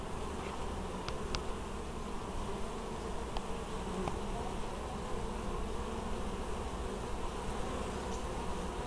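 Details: Many honey bees at a Polish apiary in Moszczanka, Opole region, in August 2013, busily bringing in honeydew; a dense continuous low drone of wingbeats, with a few short clicks and faint higher buzzes over it.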